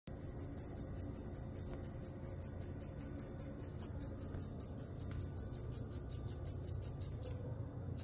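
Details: Cricket chirping: a steady run of fast, high, pure pulsed chirps, about two to three per second, continuing almost without pause until a brief stop near the end, over a faint low background hum.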